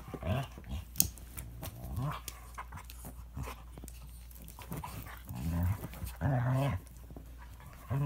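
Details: Toy Manchester terrier and Standard poodle in a vicious fight, low rumbling growls in short bursts with sharp snarls, scuffling and panting between them.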